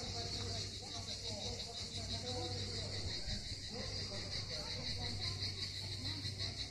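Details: Cicadas singing on the southern coast of Crimea at Miskhor harbour, Yalta: a steady, high, shimmering buzz that never pauses, with murmuring human voices and a low mechanical hum underneath.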